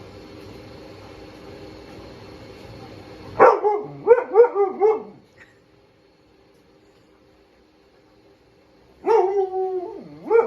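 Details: Blizzard, a pet Husky/Malamute dog outdoors, barking and howling at pool toys he hates: a burst of yelping barks sliding into wavering howls, a quiet pause, then another rising, wobbling howl with steady background hum.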